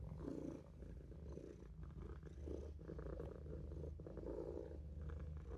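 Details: Olof, a Maine Coon kitten, purrs while asleep in a sink: an even, low vibrating drone with gentle breath-by-breath pulses roughly every second.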